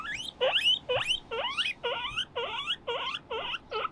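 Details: Pet guinea pigs Moruhei and Mokohei at play on a balcony, one flipping over a low table; loud rising wheeks, each a sharp upward whistle with a hooked end, repeated about twice a second.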